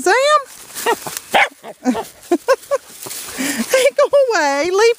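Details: Playing Teddy Roosevelt Terriers outdoors in Georgia on a warm February day, with rising-and-falling whiny yelps, clusters of short barks, and a long bending howl-like whine at the end, plus people talking.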